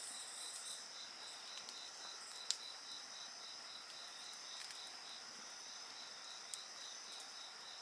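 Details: Insects singing beside a bonfire: steady, high, shrill trills layered together, one of them pulsing in rapid even beats, with a faint crackle or two from the fire.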